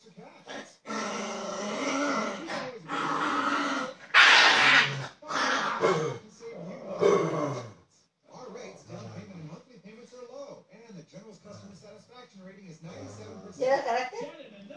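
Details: Indoors, a Chihuahua throws a fit and growls, scaring a Labrador; rough, low, throaty growls in uneven bursts, mixed with loud human talking and laughter, especially early on.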